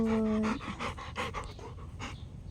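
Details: Female Rottweiler panting hard while playing fetch, throwing and catching a ball: quick rhythmic breathy bursts about every half second, opening with a brief steady whine-like tone, as a woman praises her warmly.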